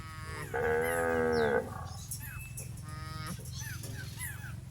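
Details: Cattle grazing in a rice field: one clear, level moo of about a second, followed by a shorter, fainter moo, against a constant low rumble and scattered light chirps.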